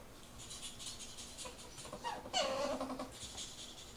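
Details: Mating ferrets indoors: soft rhythmic scratchy huffs, then a short high squeal that slides downward and trails off, followed by more quick breathy bursts.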